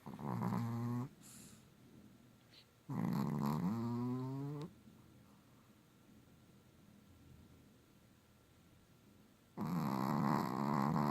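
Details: Pet dog Hallie snoring loudly in three long, droning, harmonic breaths, each rough and nasal with a wavering rising tone, separated by several seconds of quiet breathing.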